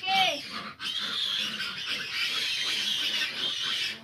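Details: Fifteen large piglets squealing together while their sow struggles to nurse them; a dense, high, continuous squealing chorus fills the clip, with a brief sharp cry at the start and a short break near the first second.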